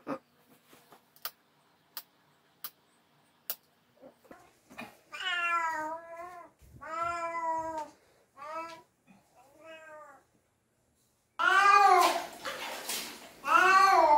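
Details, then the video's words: Domestic cat protesting during a bath: a run of soft clicks and taps, then drawn-out, wavering meows grow louder, ending in two loud, strained, rising-and-falling cries. "냥빨의 날 | 고양이 목욕 | 수(水) 속성 고양이"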